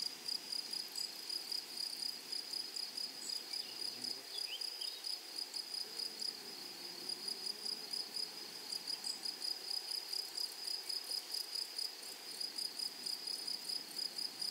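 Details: Shrill rhythmic chirping of grasshoppers in a flowery meadow, regular rapid pulses throughout, with a faint low wavering hum passing in the middle.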